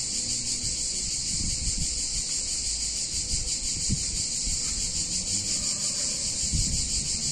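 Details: Cicadas in a warm Italian town in summer keep up a steady, piercing high buzz, while scattered low thumps and clatter from nearby activity sound underneath.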